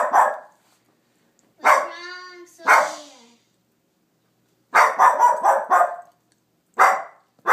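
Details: Sofia the dog barks at nothing indoors: single sharp barks, a whining tonal bark with stacked harmonics, then a rapid burst of four or five barks and another lone bark.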